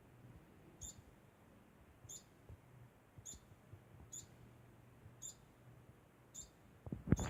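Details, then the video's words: Degu making a constant sound: short, high, squeaky chirps repeated about once a second, each brief and evenly spaced, over a faint low hum, with a louder knock at the end. "Degu makes constant sound"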